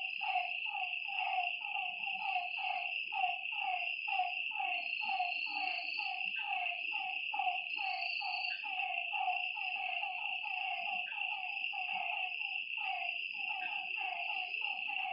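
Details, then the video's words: Nighttime lakeside chorus of frogs: brief falling notes tumble over one another about twice a second, steady shrill insect drone behind, occasional short high whistles. "Lakeside night creatures and frog sounds"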